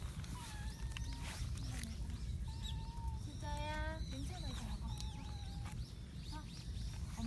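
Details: Stray baby cat, female, voicing odd singing mews while eating chicken breast. A series of drawn-out, level tonal mews recur every second or so, one louder harmonic-rich call near the middle, with constant low background rumble.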